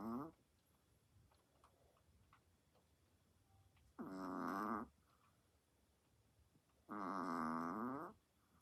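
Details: Indoor recording of Chihuahuas asleep, one snoring very loud: three buzzy, moaning inhalations with rich harmonics, the last two about three seconds apart and each near a second long, separated by near silence and soft room noise.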